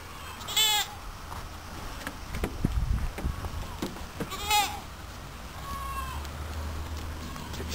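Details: Goats on a farm; two loud, wavering, nasal bleats near the start and middle, then a fainter, shorter bleat later, over low rumbling and handling noise.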